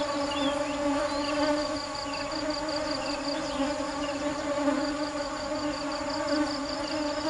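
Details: Nectar-seeking bees fill the air with a constant low drone; a rapid, rhythmic high-pitched pulsing comes and goes in short runs above the steady humming.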